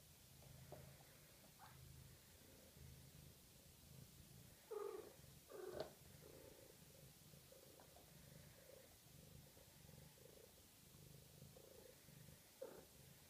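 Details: Steady low purring from six-week-old Maine Coon kittens, continuous rhythmic rumbles throughout, broken around the middle by two short high mews, with faint rustling in a quiet room.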